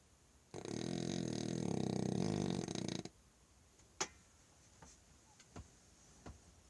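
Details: Sleeping after supper, Manny the French Bulldog lets out a single coarse, vibrating snore lasting about two and a half seconds, followed by near silence broken by a few soft ticks and taps indoors.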